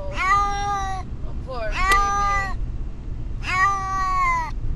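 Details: Brutus the Beefcake, a pet cat distressed on the way to the vet, gives three long harmonic meows, each about a second, with steady low car rumble underneath.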